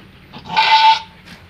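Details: Kacang doe in labour, delivering a Boer-sired kid on a meat-goat farm, gives one short, strained, wavering bleat that swells and fades within half a second over quiet background.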